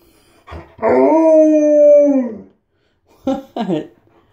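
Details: Tonka, an Alaskan Malamute barging into a bathroom, gives one long steady howl, level and harmonic-rich, lasting nearly two seconds before sliding down, followed by short voiced yips overlapping a person's speech.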